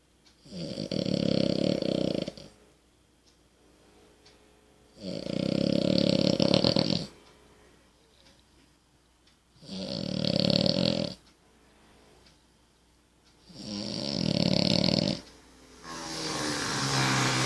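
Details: Amelie, a French Bulldog, snores indoors: four loud, rasping snores about every four seconds, each lasting one to two seconds with quiet pauses between, the last trailing into a softer breathy rattle.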